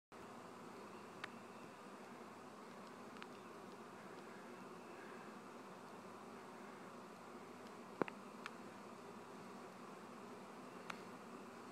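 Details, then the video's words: A swarm of honey bees producing a steady, low, dense buzzing hum, even and continuous throughout, with a few faint clicks and taps. "Bee swarm"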